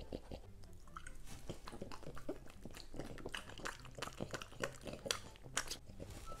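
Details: French Bulldog crunching on dog-safe green vegetables indoors, a rapid series of crisp bites and chewing crackles close to the microphone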